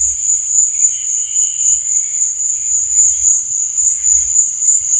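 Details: Crickets at night: a steady, high, shrill trill runs unbroken throughout, with softer warbling chirps underneath and faint low thumps at intervals.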